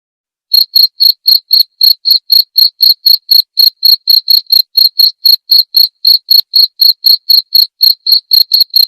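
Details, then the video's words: Clear jangkrik chirping in a tutor track for murai batu, meant for nightly playback. After a half-second pause, crisp pulsed chirps begin and repeat about four per second with no background noise. "masteran suara jangkrik jernih!"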